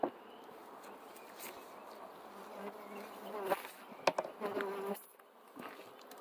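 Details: Bee buzz with harmonic layered tones, swelling in short louder passes as insects fly close, then fading back to a soft drone.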